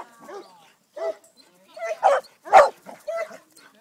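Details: Sadie, a Greater Swiss Mountain Dog of 10½ years, herding for her first time, gives scattered tonal yelps and two louder, harsh barks, with brief silences between them.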